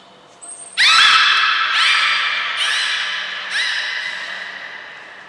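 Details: At Port of Nagoya Public Aquarium on 5 June 2021, trained belugas Hodoi, Gray, Nana and Niko produce a thin high whistle followed by three or four rising, buzzy harmonic squawks that fade out in a reverberant room.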